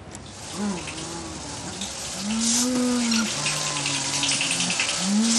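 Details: Elephant low-frequency rumble, produced as air passes through the nasal cavities and normally inaudible to humans, played back at ten times normal speed: smooth moo-like tonal calls, several sustained and level, over a steady watery hiss.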